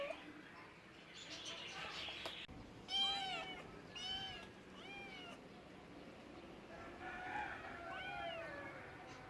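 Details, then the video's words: Cats meowing in a funny cat compilation: a run of three short arched meows about one second apart, then a pause and a final bending meow, against noisy background sound. "Cute talking cats, Funny cats sounds for lonely cats"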